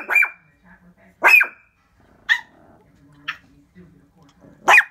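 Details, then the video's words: Shih Tzu named Papa, a pet, barking at something at the window after about three minutes of barking; four sharp, loud barks spaced irregularly, with a woman's quiet voice between them. "Who’s That Peeping Thru My Window"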